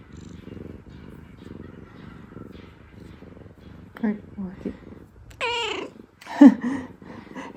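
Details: Pet rescue cat purring contentedly indoors, a low even rumble for about four seconds, then a woman's voice and a short odd vocal sound with sweeping pitch toward the end.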